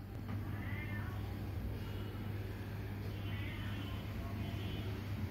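Bengal kittens give two thin, high mews, rising then falling, over a steady low hum.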